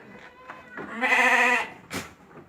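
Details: A goat on a farm, March 28, 2025, lets out one loud, half-second, tremulous nasal bleat, framed by soft shuffling and a brief click afterwards.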